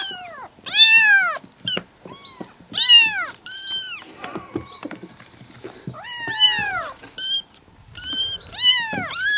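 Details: Kittens aged four to five weeks, seven from two sibling mother cats in a grandmother's yard, all calling at once: loud, high-pitched downward-arching meows in irregular bursts, some overlapping, with quieter mews and rustling between.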